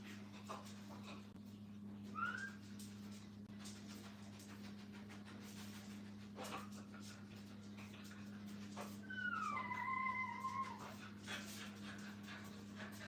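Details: Brittany puppies with their mother at a dog training kennel: a short, thin, rising whine early on, then a longer, high, double-toned whimper that rises and levels off, over a steady electrical hum.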